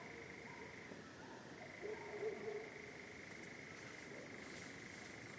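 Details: A night frog chorus on a farm blends into a steady, unbroken trilling drone with a thinner high hiss above it, perhaps a nightjar, with barking dogs nearby; faint voices murmur briefly in the middle.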